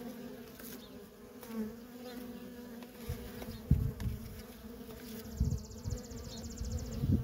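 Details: Worker honey bees at a feral colony hum steadily beneath repeated low thumping bursts of rumble, with a fine rapid high ticking in the final seconds.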